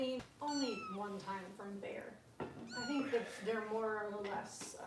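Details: Bottle-fed foster kittens, Kitten Rescue, Los Angeles: several loud, high-pitched mews with sharply bending pitch, arriving in quick bursts, alongside a person's lower speaking voice in a small room.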